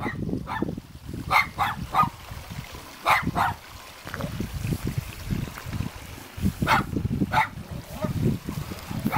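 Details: At a mountain home in Jeonju, North Jeolla Province, Korea, two cute guard dogs keep barking in rapid, uneven clusters of short yaps. A constant low rushing sound runs underneath.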